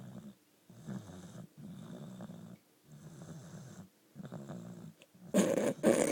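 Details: Asleep at home, Cali the four-year-old female Boxer gives steady low snores, roughly one breath per second, rough and throaty, ending in a louder broadband snort-like burst near the close.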